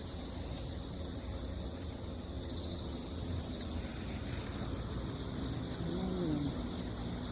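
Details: Crickets calling on damp ground after a typhoon has passed: a steady, shimmering high-pitched trill in several layered bands, with a low outdoor rumble underneath and a brief faint lower call near the end.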